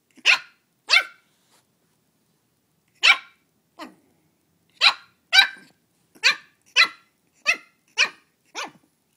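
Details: Upset with her mini pumpkin on Halloween, new Shih Tzu puppy Belle lets out two shrill yaps, pauses, then delivers a steady series of about ten high, clipped barks roughly every half second.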